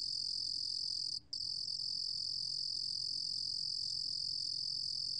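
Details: A Korean cricket, recorded in 2020 for the National Institute of Biological Resources, produces a dense, high-pitched continuous trill with a single short gap early on, steady in loudness against a faint low hum.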